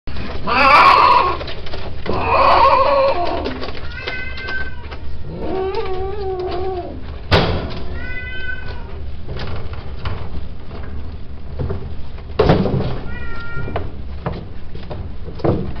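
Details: Male cats indoors: loud, drawn-out wailing at the start, then several clear harmonic meows, some wavering, spaced a few seconds apart, with thumps and background noise.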